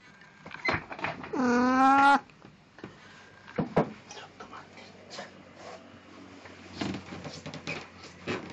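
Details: Plan, a pet cat in a Snow White costume, recorded 1 April 2017, gives one loud drawn-out meow lasting under a second, rich in harmonics and gently wavering, followed by quieter clicks and knocks.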